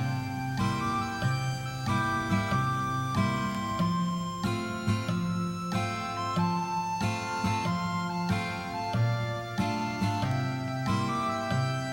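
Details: Gentle instrumental music with flute-like melody and plucked strings fills the whole stretch, and no snoring or other animal sound stands out.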